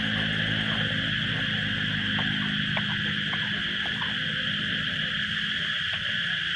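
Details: Loud cicada chorus surrounding the listener in Thailand during a period of frequent rain. A continuous shrill buzz runs without pause, over a low humming drone and a few faint knocks, ending in a sudden sharp noise.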